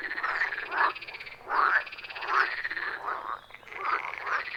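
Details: Wild pond frogs in deep forest, recorded by phone with an attached microphone: raspy rattling croaks arriving in bursts roughly every second, overlapping neighbours answering, a steady natural chorus without music or speech.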